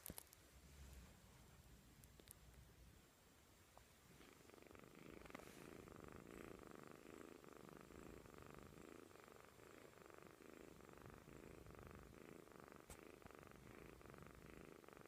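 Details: Fast asleep and worn out, a kitten snores: after a few quiet seconds a continuous buzzing rumble sets in and holds steady, its breathing rhythm faintly rising and falling.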